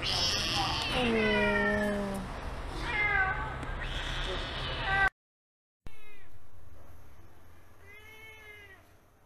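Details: Stray kitten rescued from a public street meows repeatedly, with clear falling, harmonic-rich cries in quick succession over rumbling background noise. After a brief break come softer, cleaner meows, one long arching cry standing out.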